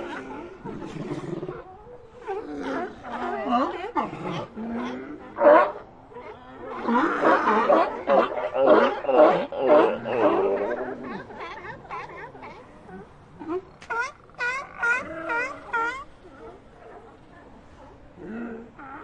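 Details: Several sea lions calling together: overlapping hoarse barks and groans, some short and clipped, others rough and drawn out, building to a dense chorus midway before breaking into rapid barking and trailing off.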